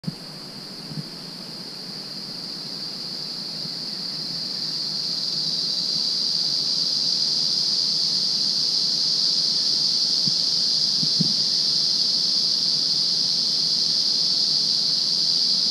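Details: In Budongo Forest, cicadas sing a steady, high, hissing drone that swells gradually louder and then holds.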